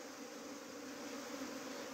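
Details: Hum of bees from a hive that had been trying to leave as a swarm, held back by a queen gate fitted the evening before. Constant droning buzz over a hissy background.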